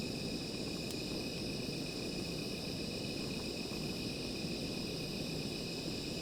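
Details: Continuous high insect trilling on a night beside a small fire, even and unbroken, with a loud low crackling bed from the fire and one sharp pop near the start.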